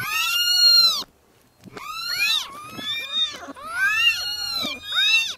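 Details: Several newborn kittens crying. A strong rising-falling meow opens, and after a short silence come overlapping, insistent high cries from a few kittens at once.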